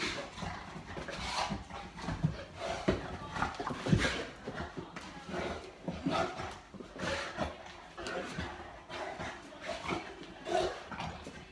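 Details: Boerboel named Molly playing with her owner indoors at night: rough, low grumbling growls and huffs come in uneven bursts, with occasional human voices and rubbing noises in the background.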